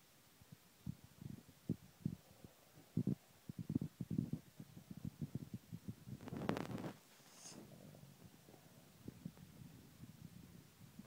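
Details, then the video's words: Boston terrier, a pet dog, snoring while asleep: low rumbling snorts repeated roughly every half second, with a louder, broader snort burst near six seconds, then quieter breathing. "Our dog snoring"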